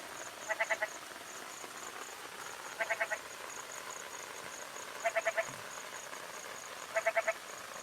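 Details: Jerdon's bullfrog, seen after the first rains in the breeding season in Indian grasslands, gives its goat-like call: short, stuttering bleats repeated every two seconds or so.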